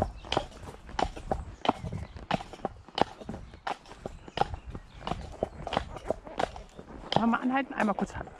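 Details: Hoof strikes of Damon, a Shire horse from Ostsee Shires, on the way to Falkendorf on 2 May: even clopping steps about three per second, a voice briefly heard near the end.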